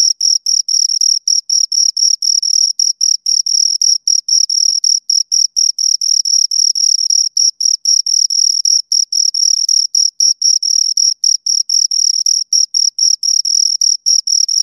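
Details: Pair of crickets heard right at the ear, rapid high chirps packed into dense runs with brief irregular gaps, steady loudness throughout and nothing else audible.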